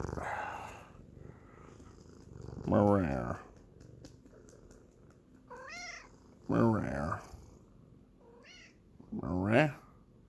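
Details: Sphynx cat, a breed said never to meow, making strange grumbling, growling noises to communicate: three loud, harsh, rough bursts roughly every three seconds, with softer, higher chirping sounds between them and a person's voice nearby.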